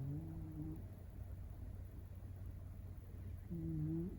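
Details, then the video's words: Sleeping Shiba Inu puppy Tsukune, not yet a year old, snoring at home; a wavering low hum-like snore starts things off, a quiet gap follows, then another rising nasal snore near the end over constant background hum. "柴犬０歳子犬のいびきがおっさん化Shiba Inu puppy snoring"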